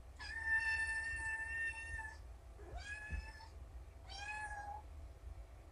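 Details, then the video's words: Rescued shelter kittens from Purrfect Pals, found abandoned in a roadside box, meowing in a chorus one morning before breakfast indoors: three clear, drawn-out, slightly falling meows, the first longest, with soft background hum. "Reindeer Kittens - Morning 1-4"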